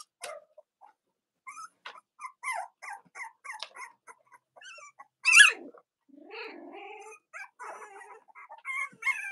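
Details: Cavalier King Charles Spaniel puppies, Robin and Myra's litters, indoors on a chilly October Monday: soft scattered squeaks, one sharp loud yelp, then a longer falling whine and more thin whimpers.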